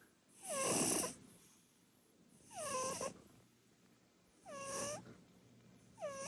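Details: Asleep on the sofa, Purin, a chubby short-legged Munchkin cat, snores loudly. Harsh, airy inhalations repeat roughly every two seconds, each carrying a clear whistled tone that dips downward. There are three full snores plus the start of a fourth.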